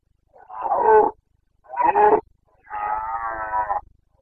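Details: Carpathian red deer stag in Bucovina's mountains, breeding season, 29 September 2022: three hoarse, harmonic roars, two short bellows followed by a longer, steadier drawn-out roar, in a quiet setting.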